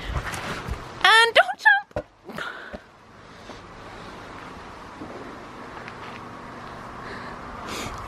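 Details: Dog vocalizing while playing with a new toy, a large ball meant for horses or big dogs: a wavering, harmonic burst lasting under a second, followed by short sharper calls, then quieter background sounds.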